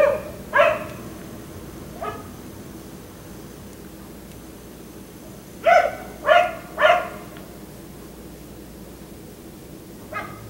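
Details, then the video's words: Black Labrador retriever left outside by neighbors until 1am at night, barking in loud harmonic bursts: single barks, then a quick run of three around the middle, with scattered barks at start and end over steady background hum. "Dog barking until 1am"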